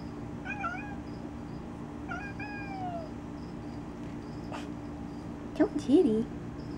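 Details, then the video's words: Talkative domestic cat sitting in a box gives two falling, drawn-out meows about two seconds apart, followed by a person's quick speech and a brief clatter near the end. "Kona Talking in a Box"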